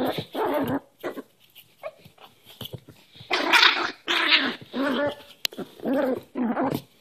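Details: Newly adopted Cairn Terrier puppy play-fighting with a hand inside a small room; harsh growling snarls in repeated half-second bursts, roughly one or two per second, with quiet gaps.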